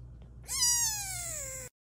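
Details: A domestic cat gives a single drawn-out meow of about one second. It starts high and slides steadily downward, with a faint low hum behind it and silence after.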